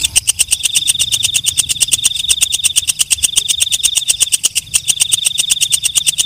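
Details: Walang kecek, a katydid or night grasshopper, calling at night: a fast, steady train of dry ticks, about eight per second, over a continuous high, ringing whine that dips briefly a few times.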